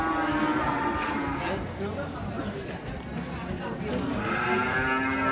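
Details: Cattle at Pasar Muaro Paneh, a large livestock market in West Sumatra, Indonesia: drawn-out, mid-pitched moos rising and falling over a dense background of market chatter and bustle.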